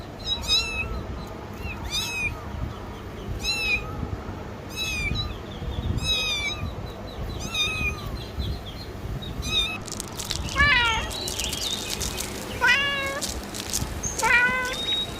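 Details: Pet cat giving repeated high, wavering meows roughly every one to two seconds, some with a squeaky upward bend, then a denser run of sharper, more urgent meows over background room noise.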